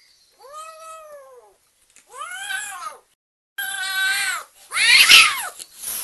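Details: Energetic, very happy kitten giving four separate meows in under six seconds. They are bright and high, and the last two are louder and harsher, with short silences between calls.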